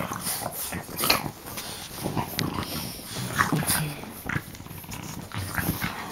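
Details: French bulldogs play-biting, three on one: rough broadband snorts and huffs in irregular bursts, about one every two seconds, with a man's voice in the background.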